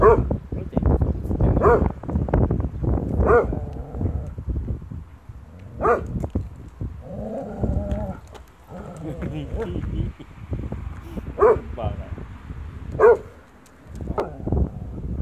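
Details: Aifer, a German Shorthaired Pointer, reacting to its own shadow: deep single barks at irregular intervals, interspersed with human speech throughout.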